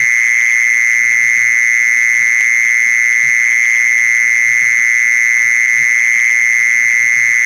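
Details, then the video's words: Lure recording of a mole cricket call meant to draw mole crickets in: one continuous, shrill, buzzing trill at constant pitch and loudness from start to end, with soft scattered knocks far below. "เสียงล่อแมงกระชอน แมงจีซอน"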